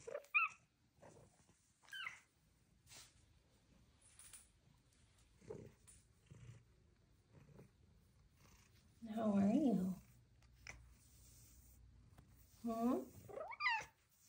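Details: Female pet cat chatting with her owner in a small room, giving short chirps and a couple of longer wavering meows between the owner's soft talk, with light handling noise.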